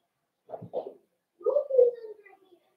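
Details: Cavalier King Charles Spaniel puppies in their indoor puppy pen on 12/13/22, meeting several bigger adult dogs during socialization. Two short yelps, then a longer whine that slides downward and fades.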